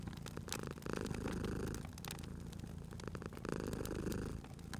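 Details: Sleeping cat by a fireplace gives two long, low purring rumbles separated by a softer pause, with crackling and snapping fire sounds scattered across the whole stretch.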